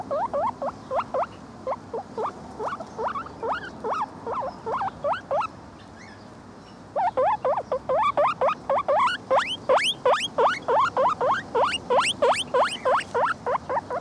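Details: A male Lemon Agouti guinea pig gives rapid, repeated rising squeals, a steady string of high wheeks.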